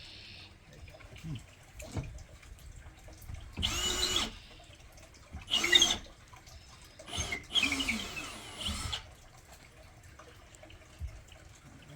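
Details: Short hissing bursts like spraying water or a power tool come and go against quiet background noise, with no animal voice heard.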